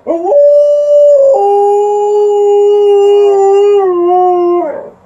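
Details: Alaskan Malamute howling indoors in response to an outdoor siren: one long sustained tonal howl, starting with a brief rise, holding steady, then sliding slightly lower before fading, rich in harmonics.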